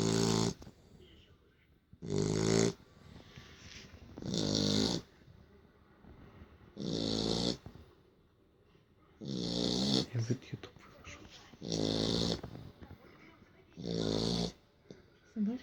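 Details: Worn out from play, a Beagle sleeps and snores steadily indoors: seven rough, rattling snores repeated about every two seconds, loud and regular, with near silence between.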